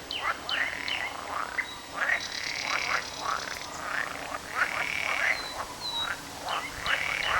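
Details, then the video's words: A chorus of frogs croaking on 18 May 2010, rapid pulsed calls overlapping one another in a steady rhythm. "Frogs Croaks"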